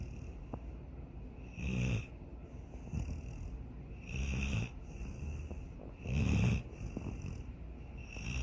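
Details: Snoring from Sydney, a dog asleep and dreaming of chasing a rabbit and swimming in a lake; three strong, low, rasping snores about two seconds apart, with quieter breaths between them.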